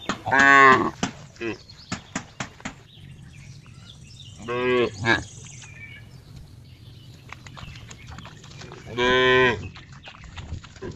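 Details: Cow mooing, described as a funny sound: three short harmonic-rich moos spaced several seconds apart, each under a second, with faint clicks and low background rumble between them.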